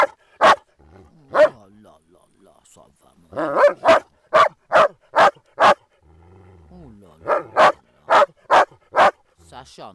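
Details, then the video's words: Groenendaels in play with resource guarding: a couple of single barks, then a fast run of about six barks, low growls, and a second barking burst. "dog resource guarding play groenendaels"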